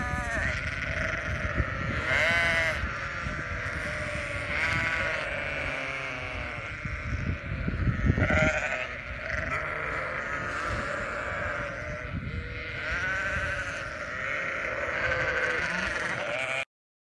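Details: Many sheep of a flock on a ranch in Western Australia bleat in overlapping, wavering cries, several loud calls every second or two over a dense chorus, with shuffling and low rumbling noise.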